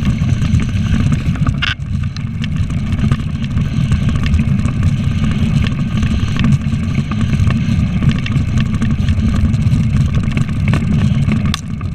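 A steady low engine rumble of a motor vehicle fills the recording, with no animal sounds.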